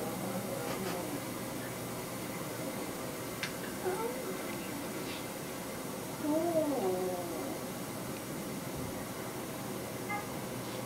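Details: Felix, a house cat, calls out on hearing a recording of Nikki, his recently deceased little Siamese brother. Two drawn-out, wavering meows rise and fall mid-clip, amid human speech and indoor room noise.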